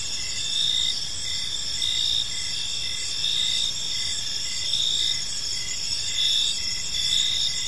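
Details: Several crickets sing together at evening in a park; high, ringing buzz holds steady while brief pulsed chirps recur in regular groups, with quiet low-frequency ambient noise.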